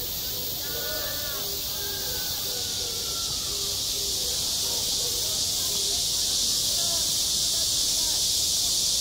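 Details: Cicadas drone relentlessly on a school playground in midsummer, a bright, even high-pitched whine, with distant voices calling out in short phrases beneath it, most clearly early on.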